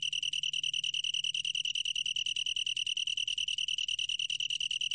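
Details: Long-tailed tree cricket producing a continuous shrill, musical trill of quick, regular pulses at one steady pitch. A soft low hum is the only other sound.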